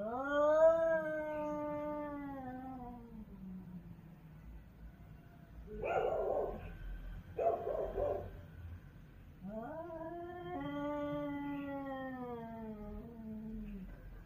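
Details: Street cats yowling in a territorial fight: a long descending wail, then two short harsh spitting bursts, followed by another drawn-out rising and falling howl.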